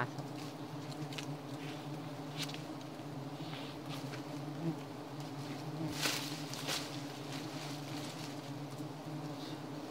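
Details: Giant honey bees (Apis dorsata), known locally as odeng, during a honey hunt; a steady low droning hum with layered tones persists throughout, broken by scattered sharp knocks and rustles, loudest around the middle.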